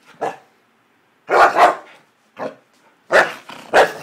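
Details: Happy dog giving five short, sharp barks in uneven bursts, two coming as close doubled pairs, with quiet pauses between them.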